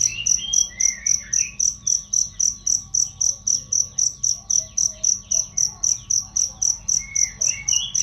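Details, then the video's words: Loud, clear cricket chirping meant to train songbirds: a continuous train of sharp high pulses nearly four per second, with faint whistled bird notes scattered in the background. "masteran jangkrik untuk burung"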